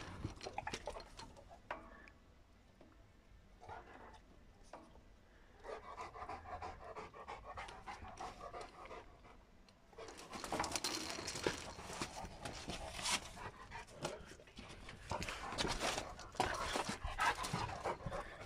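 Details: An 11-month-old Cane Corso plays with an older German Shepherd friend indoors; rapid, breathy panting comes in bursts, quieter early on and louder and denser in the second half, with soft scuffling between breaths.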